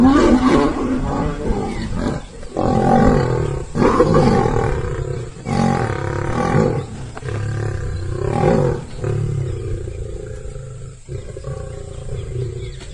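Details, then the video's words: Fighting lions, a lion and lioness attacking with very angry roars: repeated deep, raspy roaring bursts roughly every one and a half to two seconds, fading toward the end. "Lion Vs Lioness Fight || Lion and Lion Roar Sound Effect"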